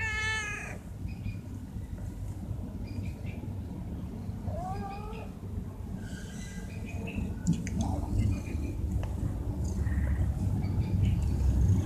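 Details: Stray cats being fed vegetable rissoles; a clear harmonic meow opens, followed by a shorter, higher mew near four seconds, over steady low traffic-like rumble with faint clatter and voices.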